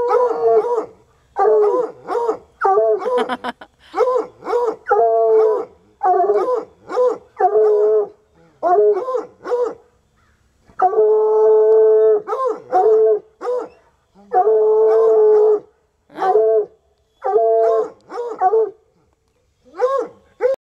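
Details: Two untrained coonhounds, Sunny and Hazard, outdoors at a parked car where they have been baying for hours at a raccoon, giving repeated mid-pitched, bawling howls with rich harmonics in short bursts, sometimes two voices overlapping, with brief pauses between.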